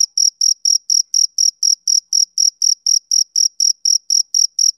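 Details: Summer-evening chirping from a male cricket: crisp, high, ringing pulses in a steady sequence of nearly four per second, all the same strength, in otherwise quiet surroundings.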